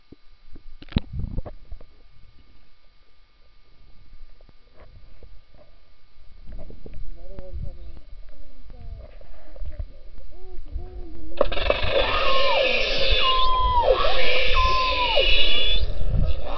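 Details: Underwater summer recording of beluga whales in the Churchill River near Hudson Bay at Churchill, Manitoba: low warbling tonal calls, then higher swooping, down-bending whistles repeated amid rising broadband hiss and low rumble.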